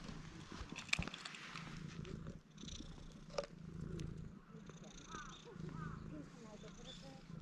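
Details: Stray cats seeking affection at a construction site; a low, steady purring rumble that pauses briefly every second or two with each breath, alongside soft human speech and occasional sharp clicks and rustles.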